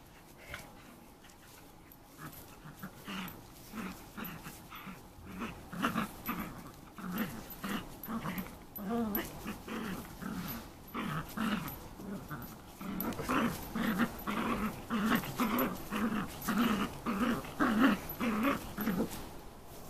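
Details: Eleven-week-old Shetland Sheepdog puppy playing with a toy, a behaviour not common among shelties; low rhythmic growls and grunts repeated almost twice a second, growing louder and denser in the second half.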